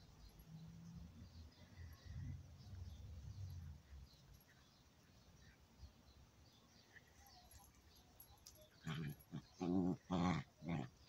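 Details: A chihuahua and an old dog playing: at first low rumbling and scuffling, then near the end a run of four or five loud, harmonic growl-barks in quick succession.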